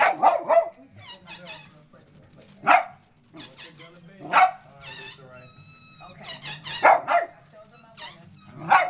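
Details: Dachshund rumbling in dislike at the squeak of air let out of a balloon: short rough vocal bursts recur every second or two, alternating with high, wavering balloon squeals and brief human voices.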